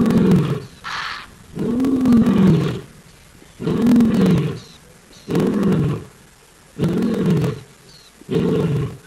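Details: Lion roars at dusk (6:15 PM, 4 October 2023) on a live African camera: deep, throaty moaning bursts that rise, hold and sink, repeating roughly every two seconds with short quiet gaps.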